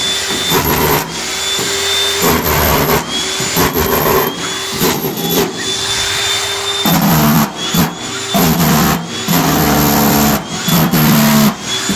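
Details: Loud, steady machine whirring like a vacuum cleaner or power tool, with droning hums and thin high tones, broken by repeated short bursts and pauses.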